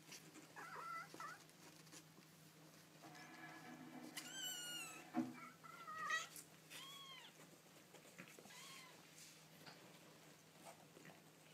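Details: Baby kittens making cute noises indoors: a chorus of thin, high, rising-then-falling mews from several kittens, some overlapping, with one sharp squeal and thumping handling sounds over a constant low hum.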